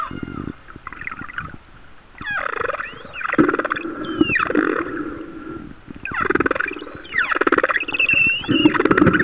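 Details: Humpback whale song recorded about a mile off the coast of Kauai in 2009: sweeping moans and whooping tonal units that rise and fall, repeated in phrases.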